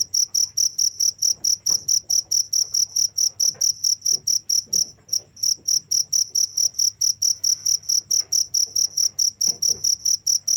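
A cricket gives a continuous run of shrill, high chirps, each pulse sharp and evenly spaced. The rhythm stays fast and regular throughout, with faint low rustling beneath.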